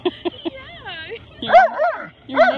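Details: Max, a Husky/wolf mix, talks while playing with his best friend Tor, a silent Rottweiler; a few short clipped sounds open, then wavy, rising-and-falling harmonic yowls come in two bursts near the end.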